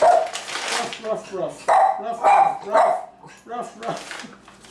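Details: A small female Schnauzer gives sharp, repeated barks in quick bursts to greet guests, with a person talking.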